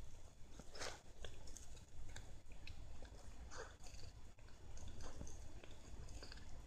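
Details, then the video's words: A Siamese cat munches lettuce, producing irregular sharp crunches and moist bites clustered in short bursts, over a faint low hum. "Siamese cat eating lettuce"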